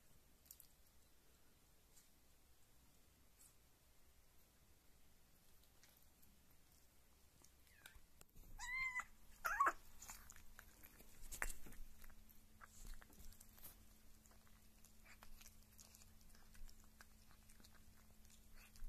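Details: Female pet kitten, filmed at one or six months old, while eating meat or drinking milk: quiet at first, then a brief rising-falling meow followed by wet smacking clicks and licks over a steady low hum.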